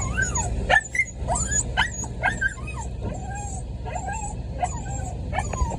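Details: Puppy crying in the rain while waiting at a door: high, thin whines that rise and fall in quick repeated bursts, some sliding upward into yelps, over a steady hiss of falling rain.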